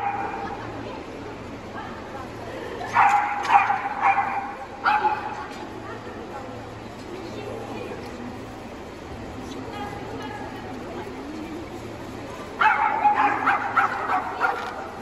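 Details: Dog at the VI Agility Baltic Cup jumping event, 20 February 2022, giving bursts of sharp, harmonic-rich barks around three to five seconds in and again near the end, over steady hall murmur and background voices.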